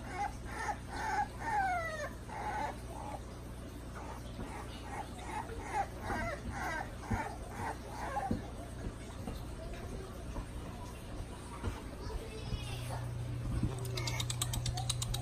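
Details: French Bulldog puppies recorded on 26 November 2019. Repeated short, harmonic yelps and squeals, several sweeping downward, crowd the first seconds, then thin out to scattered faint squeaks. A low hum swells toward the end.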